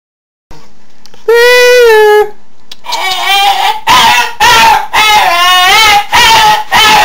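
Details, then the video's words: A pet dog's funny non-barking noise, which the dog makes often and out of the blue: a drawn-out, harmonic whining warble that opens with one steady tone, then breaks into several wavering, yodel-like bursts separated by short pauses, heard indoors. "My dog and his funny sound"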